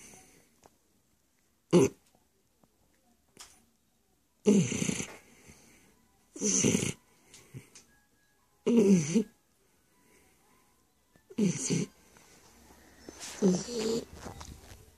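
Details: Stefani the Shar Pei snores steadily, with loud rough breaths in harsh, buzzy, rattling bursts roughly every two to two and a half seconds. Soft wheezy sighs fall between them, and a quieter low hum shows near the close.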